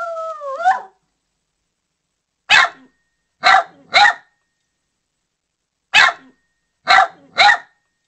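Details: Poodle barking: after an opening whine that slides down, sharp broadband barks come in spaced clusters, single then doubled, two short bursts followed by a pause and a repeat of the same pattern.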